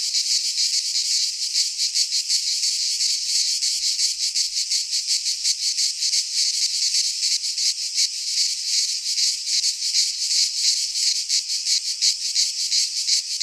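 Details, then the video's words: Greek cicadas in a pine forest at midsummer, many insects droning together in a harsh, high buzzing wall of sound that throbs in quick regular pulses, steady loudness throughout. "Cicadas singing in midsummer - Nature sounds from the Greek fauna - Sounds of cicadas"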